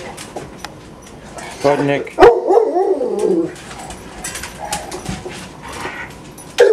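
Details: In a home shared by six pet dogs on a typical morning, a loud bark leads into a drawn-out, falling howl lasting about two seconds, followed by softer background sounds and a brief final yelp.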